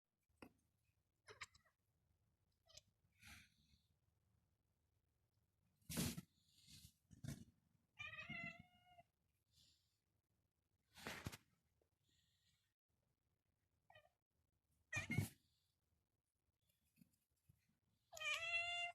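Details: An eight-month-old kitten chirping and making other noises for fun indoors: quiet, short trilled chirps with rising pitch, scattered among soft thumps and brief rustling bursts in a hushed room.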